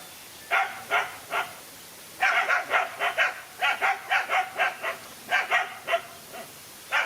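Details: Dog fight between one dog and two male dogs: a few spaced barks, then a quick run of harsh barks after two seconds. Scattered barks continue to the end with brief silences between them.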